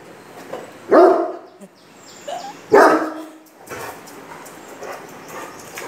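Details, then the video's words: Great Dane showing aggression toward a stranger: two loud, rough barks about two seconds apart over a low background hiss, followed by quieter faint noises. "Great Dane's devil mode for a stranger"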